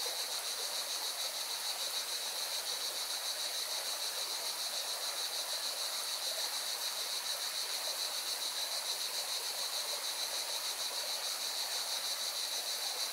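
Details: By a mountain river in Valencia, Spain, cicadas keep up an unbroken shrill buzz that throbs rapidly and evenly throughout, layered on the constant hiss and roar of the stream.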